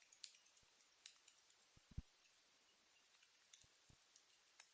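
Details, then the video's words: Pet rat grinding and chattering its teeth indoors: faint, sharp clicks scattered irregularly, some in quick pairs, with a few soft low knocks in a quiet room. "КРЫСА СТУЧИТ ЗУБАМИ Стучат зубы скрежет зубами ЗВУК КРЫСЫ"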